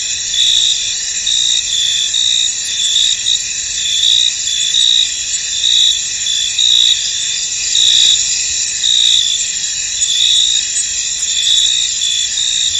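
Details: Crickets in a misty, foggy field: a dense, steady high-pitched trilling chorus with stacked shrill tones, swelling in louder pulses roughly once a second, no other clear sounds.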